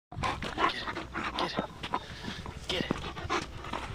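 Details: German Shepherds Nyah and Yogi, a pair of pet dogs enjoying a beautiful day, with quick breathy panting puffs in irregular bursts and faint voices in between.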